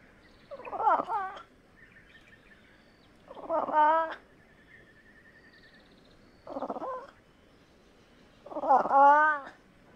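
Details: Fishing cat (Prionailurus viverrinus) uttering four separate hoarse, meow-like calls spaced two to three seconds apart, alternating short rough bursts and longer wavering wails rich in overtones, against a quiet background.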